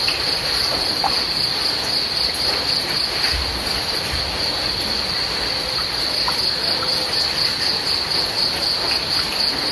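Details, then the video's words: Rain pattering steadily while crickets keep up a bright, high-pitched trill, pulsing evenly around four times a second, with a few low thuds underneath. "The sound of rain and crickets to relax and sleep better"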